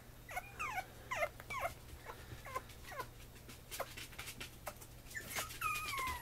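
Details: Female black-and-white Pomeranian puppy, 56 days old, in Mie, Japan: a series of high thin whimpering whines, each sliding downward, repeated roughly every half second, ending in a longer wavering whine.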